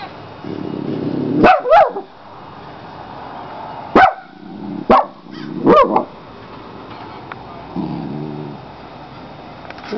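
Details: A dog named Molly barks at something outside: about six sharp barks in uneven bursts over six seconds, some paired and slightly yelping with a rising-falling pitch, then quiet, over a low steady background hum.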